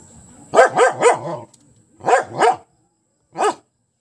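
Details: Dog; bark; barking at a perceived enemy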